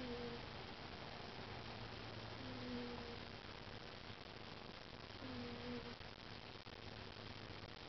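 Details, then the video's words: Sleepy Bengal cat snoring: a soft, faintly whistling tone with each breath, repeating roughly every two and a half seconds over a steady hiss in a quiet room. "Snoring Sleepy Bengal"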